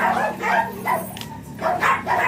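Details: Blue Miniature Pinscher Ziggs at a kennel in Manaoag barks in the morning: two pairs of crisp, high yaps separated by a short pause, over a steady low hum.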